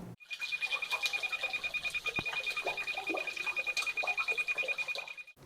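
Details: A chocolate frog of the Andes gives rapid, repeated croaking pulses over a steady high-pitched tone, its call species-specific.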